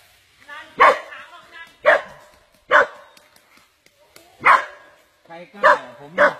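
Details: Dog being squeezed by a giant snake, barking during the attack it survived; six harsh barks at irregular intervals, mixed with men talking nearby.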